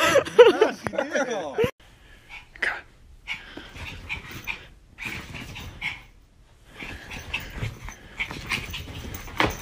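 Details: A pet dog at play gives a short burst of high wavering whines and yips over the first seconds, then quieter broken vocal sounds follow with human voices and laughter around it.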